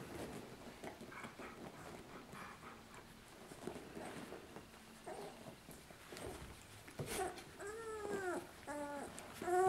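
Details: Lucy's two-week-old puppies nursing indoors; quiet shuffling and suckling noises for most of the stretch, then several short high whining squeaks with rising-falling harmonics near the end.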